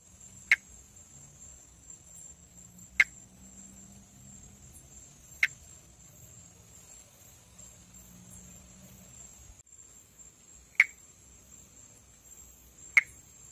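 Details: Pithecopus nordestinus, the Brazilian monkey tree frog (perereca-macaco), a northeastern Brazilian tree frog filmed calling and in amplexus. Five short, sharp clicks sound about every two and a half seconds over a steady high insect-like whine and low rumble.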